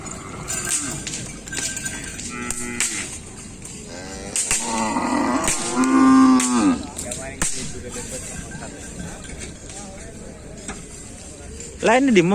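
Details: Cattle at a Kerapan Sapi bull race: a loud, steady low moo in the middle, set among music, shouting crowd noise and sharp knocks.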